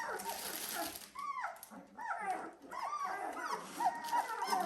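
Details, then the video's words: Several 17-day-old Dalmatian puppies giving short squeaky whimpers with downward-bending pitch, roughly one to two per second, over a hissy background and a faint voice. "Dalmatian puppies day 17"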